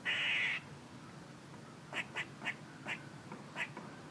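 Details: Squirrel opening with one loud, raspy, buzzy burst, then a quiet pause, then six short, sharp chucks spread over two seconds.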